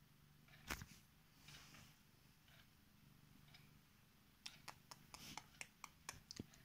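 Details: Female Korat cat purring indoors on her owner's bed as she wakes them and shows affection; a soft, steady low rumble runs throughout, with sharp clicks and rustling bursts in the second half.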